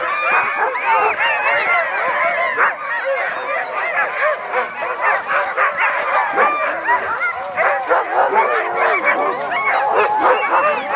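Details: Dogs in a dog yard barking and yipping almost nonstop in a dense, overlapping chorus of short, sharp calls, with a man speaking over the noise.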